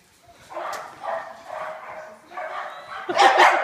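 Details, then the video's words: Two pet dogs playing tag during their daily play, one chasing the other; a series of moaning, grumbly vocal noises about half a second each, ending in louder, harsher yips and scuffling. "Our dogs play tag"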